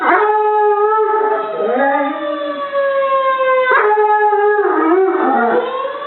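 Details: A dog named Molly joins a tornado siren. Long, level siren tones dominate, while her howl bends and slides in wobbling arcs, mostly near the middle and toward the end.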